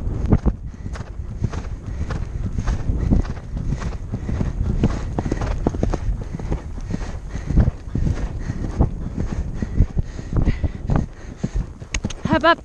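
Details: Percheron mare cantering across a cross-country course at the Horse Park of New Jersey, heard from the rider's helmet camera: continuous rhythmic hoof thumps over wind noise, with a brief spoken word near the end.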